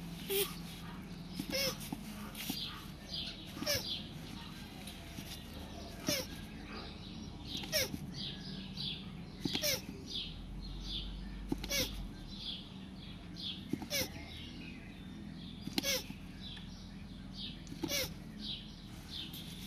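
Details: Land tortoises mating: short squeaky, downward-sliding cries with sharp knocks, repeating roughly every two seconds through the recording over a steady low hum of background noise.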